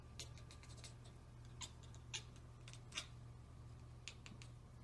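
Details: Domestic cat chattering after spotting a bird or insect: sharp, dry clicking bursts, some quick in clusters, others spaced about a second apart, over a steady low indoor hum.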